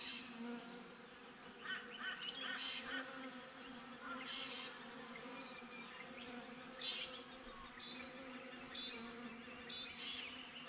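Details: Honey bees buzzing outside a beehive, filmed on a GoPro: a steady low droning hum with layered tones, plus scattered higher chirping bird-like calls through the recording.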